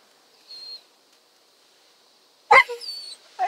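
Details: A Basset Hound on his first car wash, seemingly a little worried, gives a burst of whining, yelping 'talk' with pitch sliding up and down.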